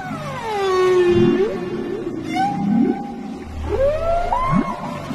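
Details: A lone gray whale in a seagrass habitat: several long tonal moans with swooping, sliding pitch, some falling and some rising, overlapping in a low murmur of underwater rumble.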